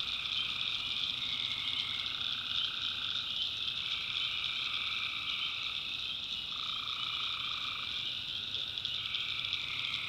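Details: Tree frogs calling at night in the backwoods of North Carolina, a dense steady chorus of high trilled calls with layered bands of pulsing croaks rising and falling, insects likely mixed in, continuous throughout.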